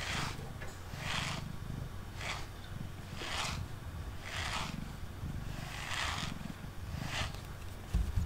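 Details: Pet cat Mango, male, purrs on a tabletop while brushed; a low rhythmic rumble sits beneath prominent brush swishes that repeat roughly every second.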